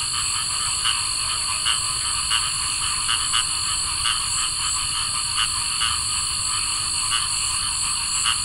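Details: Cricket frogs on a summer night give sharp, clicking calls at uneven intervals over a steady, high insect drone.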